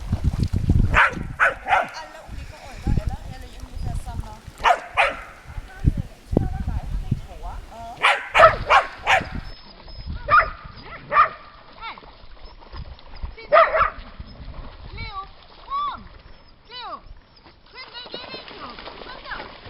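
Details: Lakeside dogs at Lida Nature Reserve, summer: scattered barks in bursts, including a rapid run of three sharp barks midway and a few later single barks, with low rumbling noise early on.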